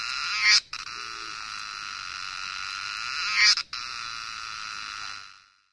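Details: Nepalese Himalayan cicadas producing an even, piercing buzz broken by brief pauses after loud surging peaks roughly three seconds apart, the drone fading out at the end.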